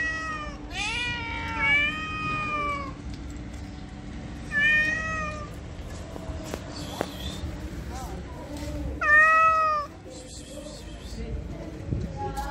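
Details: Homeless female-in-heat cat in Morocco calling repeatedly: three loud, drawn-out wavering meows spaced about four seconds apart, each rich and nasal, over a low steady hum and quiet outdoor background.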